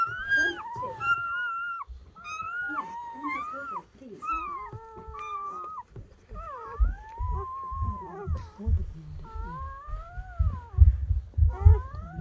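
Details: Freshly born German Shepherd pups of Betty's litter, whelped indoors overnight by a dim camping light, squeal and whimper in a rapid series of arching, wavering cries, about one per second, over low thumps, rustling and occasional human voices.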